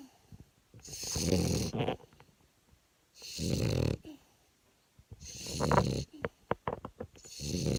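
A French bulldog snores loudly, each rattling, throaty breath repeating about every two seconds.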